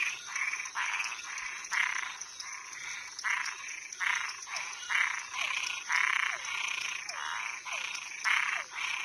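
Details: Toads and tree frogs calling at night: short, harsh, raspy croaking bursts repeated roughly every half second to one second, some overlapping as if from several callers, over a steady high-pitched background buzz.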